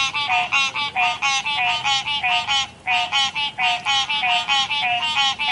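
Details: A chorus of river frogs croaks in short buzzy, reedy pulses about three per second, overlapping voices, with a brief lull near the middle before the rhythmic calling resumes.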